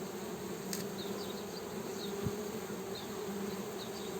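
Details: Steady honey bee buzz, a dense low hum with an even drone and no pauses, with a short click and a few faint high chirps behind it.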